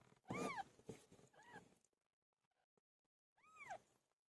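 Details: Cat called Pilo during birth: a loud rising-falling meow, a quieter second meow, a pause of near silence, then a final clear arched meow.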